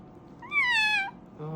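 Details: Kitten meowing while having its ears cleaned indoors: one clear, bright meow, rising then gently falling and lasting about half a second, followed by a faint low sound and room noise.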